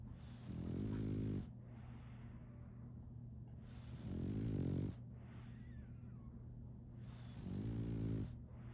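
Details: Solaimy the French Bulldog sleeps and snores: three strong, vibrating, rattly snores at roughly three-second intervals, with quiet breaths and a low steady hum between them.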